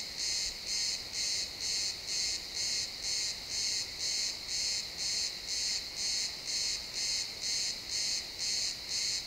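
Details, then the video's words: Pine forest at sunset with crickets calling in realtime XY stereo: evenly spaced high-pitched chirps, roughly two each second, very regular over a soft ambient background. "Cricket sounds in the pine forest"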